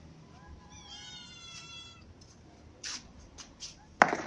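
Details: Annoyed ginger cat whose food keeps getting eaten by another cat gives one long, slightly falling meow, followed by a few soft clicks and a sharp knock.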